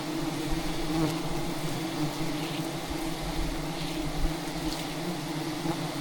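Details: Angry wild bees attacking during a traditional honey hunt at a giant hive hidden among dense rainforest branches; a continuous, even, humming drone with steady harmonic bands, softer and more distant, with a few faint taps.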